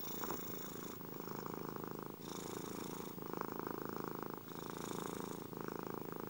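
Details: Continuous cat purr, a dense buzzing rumble with a fast pulse, shifting between two breath phases roughly every 1.2 seconds. Steady and close, with nothing else audible.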